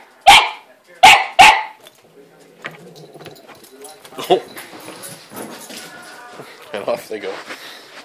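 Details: Indoor dog barking at a cat sheltering in her play house; three sharp barks open the recording, followed by quieter rustling and shuffling household noise.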